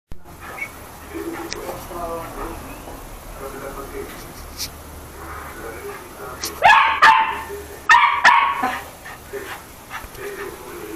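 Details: Toy poodle named Chucky barking while playing: soft whiny murmurs, then two sharp, high, harmonic-rich barks about a second apart near the end, with faint human voices underneath.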